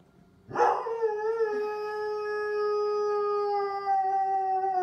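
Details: Korben, a pet dog, sings along with the monthly test of the civil tornado alert sirens: one long, loud, rich howl begins abruptly and is held steadily for about four seconds, its pitch sinking only slightly.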